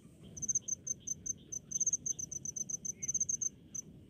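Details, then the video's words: Crickets calling in rice fields; high, sharp chirps pulsed about five times per second, some doubled, over a fainter steady lower buzzing and a soft low rumble in the background. "SUARA JANGKRIK DI PESAWAHAN"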